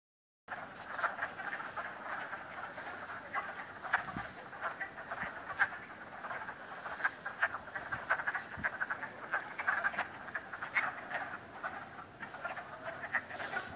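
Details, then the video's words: Chorus of frogs at Cranberry Lake, many overlapping rapid trilling croaks forming a continuous dense mid-pitched din, with occasional louder pulses standing out. "Frogs croaking at Cranberry Lake"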